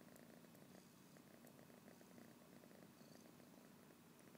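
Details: A tired house cat named Fathi, recorded with an iPhone, gives a quiet continuous purr, an even pulsing drone with no pauses, set against faint background hiss.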